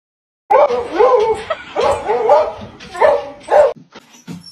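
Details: Dog giving a quick run of loud, rough barks and yips, about five bursts packed into three seconds, then a few faint clicks and quiet.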